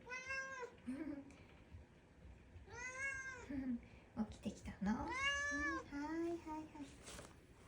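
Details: Domestic cat, just woken from a nap, comes to greet someone indoors. It gives three clear, drawn-out meows that rise then fall, with short trilling chirps between them. A person's quiet voice is also heard.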